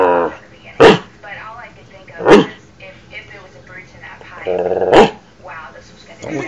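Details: A dog barks at himself, giving three abrupt, forceful barks a couple of seconds apart, mixed with continuous speech from a television playing nearby.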